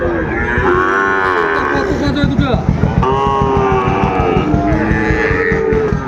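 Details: Sahiwal bull calves for sale at the Ambari livestock market in Dinajpur, Bangladesh, 23 February: loud drawn-out lowing moos with rising and falling harmonics, several overlapping, over constant crowd chatter and haggling voices.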